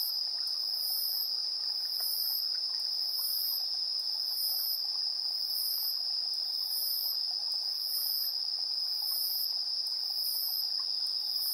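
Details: Evening insect chorus at 7:04 PM, 3 September 2022, captured with a TASCAM Portacapture X8's built-in stereo microphones. One insect holds a constant shrill trill while a higher, sizzling chirp repeats about every 1.2 seconds over a quiet background.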